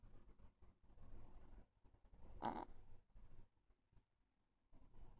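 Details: Soft low breathing from a sleeping pet Chihuahua called Jiji, broken by a single sharp, rasping snort at about two and a half seconds, then near silence before faint breaths resume.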